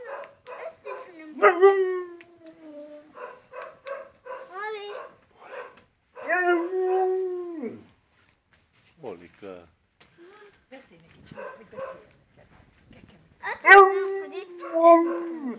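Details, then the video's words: Molly the husky lets out several sustained, slightly falling howls amid bursts of short choppy vocal sounds, with quiet gaps between phrases and a strong, abrupt howl near the end. "Husky dog Molly"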